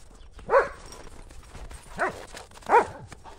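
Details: Two German Shepherds, Buffy and Willow, chase a ball through snow on a cold January day; three short, punchy barks come about a second apart, each with bright stacked harmonics, over faint crunching in the background.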